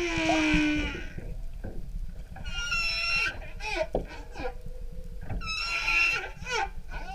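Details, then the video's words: Humpback whale song heard from an outrigger canoe off Maui, Hawaii: harmonic wailing cries and short sliding moans over low rumbling water noise. "Humpback Whales Song Maui"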